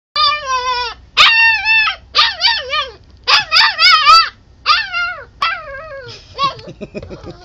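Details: Young puppy whining and crying to be let inside at a sliding glass door, not realizing it has been opened; a run of high, wavering whines and yelps in short bursts, a brief spoken remark at the end.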